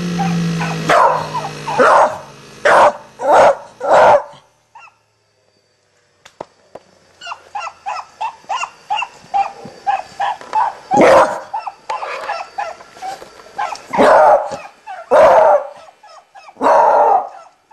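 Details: Toby, a pet Beagle, barking in a rapid series of loud, sharp barks, with a brief pause, then a second run of quieter, clipped barks between bursts of loud ones.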